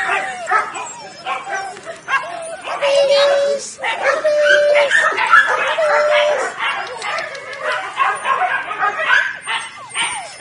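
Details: A litter of nine Weimaraner puppies (5 males, 4 females, born 23 June 2017) whine, yip and whimper in a busy overlapping chorus, with a person speaking.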